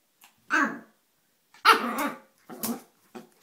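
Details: Tiny 4 lb female Yorkshire Terrier, excited and feisty indoors, letting out three sharp, rough barks in quick succession, the middle one longest, followed by a short final yap in a quiet small room.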